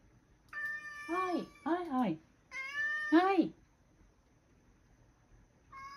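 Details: Male rescue cat Sacchan meows at home, seeming not to want the grandmother to leave: three loud, drawn-out, harmonic meows, each rising then falling, close together in the first four seconds, then a short start of another at the end in a quiet room.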